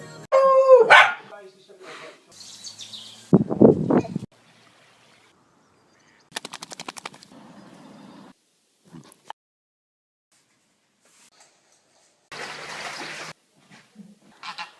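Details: Beagle letting out a rising-then-falling harmonic yelp at the start, followed by a short rough bark, with scattered thumps, rustling and a burst of broadband noise later on.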